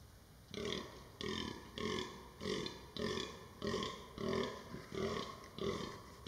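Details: Rutting fallow deer in 2023 groaning in a fast, regular series, nine gruff belch-like grunts in just over six seconds, each loud, coarse and broadband with a low droning core, with little else audible.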